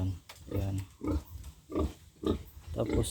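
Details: Backyard-farm pig destined to become a breeding sow grunts in a steady low series inside its pen while a man talks over the calls.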